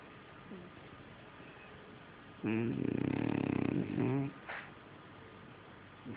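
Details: French Bulldog asleep and snoring: a single rough, vibrating snore of nearly two seconds with a pulsed, droning texture, then a short gasp and a faint snuffle. Otherwise a quiet room.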